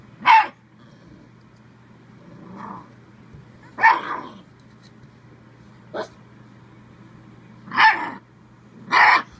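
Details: Playful Bull Terrier pup barking at the camera: loud, sharp single barks spaced a second or two apart, with quieter grumbles between and a low background hum.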